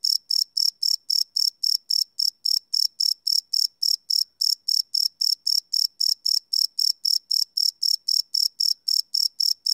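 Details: Crickets at night recorded live with a Sony PCM D100 field recorder, unlooped: shrill, ringing chirps follow one another steadily, close to four each second, in an otherwise silent setting.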